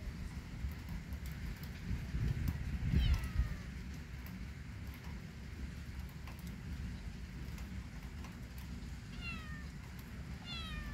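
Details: Kitten out in a yard during rainy weather makes a short descending meow early on. Near the end come two quicker, thinner meows, all over a constant low background rush.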